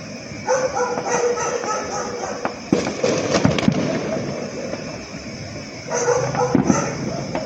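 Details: Dog barking during fireworks on the last night of the Panagbenga festival: bursts of quick, mid-pitched barks at the start and end, with crackling and booming fireworks filling the middle.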